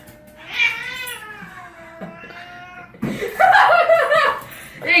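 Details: A house cat annoying its owners lets out a clear, rising-then-falling meow, followed by a louder, wavering caterwaul overlapped by a person talking and laughing.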